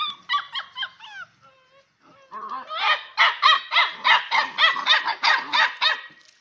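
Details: Six-week-old Bhote Kukur puppies barking at each other while playing: high, squeaky yaps in a fast run of about three per second, after a short pause, with overlapping voices.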